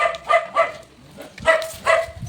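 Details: Pet Labrador Retriever at home on a rainy day, about to be bathed after running to stand by the water pipe; four short, sharp, ringing barks in two quick pairs, about half a second apart.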